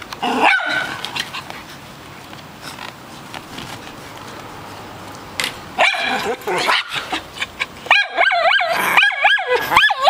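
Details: Poolside play in Austin among a white chihuahua, a miniature schnauzer on his first day and a poodle-mix sister who chimes in. One bark opens, a quiet stretch follows, then rapid high-pitched barks build toward the end.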